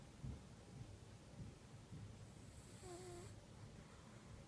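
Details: Domestic cat named Kitu, a female, snoring in the deepest sleep, filmed on an iPhone; soft low rumbling snores pulse about every half second, with a brief high whistling tone near the end over faint background hiss.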